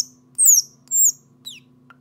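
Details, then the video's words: Three piercing, high-pitched squeaks from an orphaned baby squirrel seeking its mother, each a quick downward glide, spaced about half a second apart over a faint low hum. "Baby Squirrel Call"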